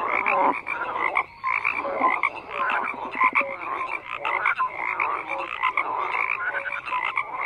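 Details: Crowded frog chorus: overlapping grating croaks and quick clear whistled notes, a brief lull near the start before the dense calling resumes steadily.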